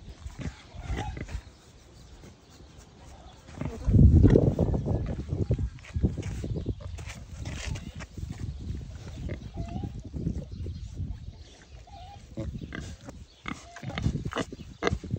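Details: A young captive wild boar, recovering that day from a stomach upset and kept with another boar, gives low, rough grunts in quick, uneven bursts while its caretaker speaks nearby.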